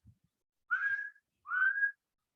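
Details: About 17 dolphins on a winter day off Shackleford Banks, North Carolina, give two smooth, gently rising whistles, each about half a second long, with a brief pause between them; these are believed to be signature whistles.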